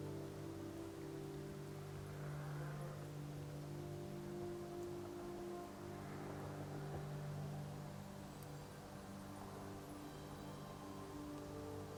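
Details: A steady low humming drone, like a motor or boat engine, fills the recording with faint musical tones. No animal calls stand out.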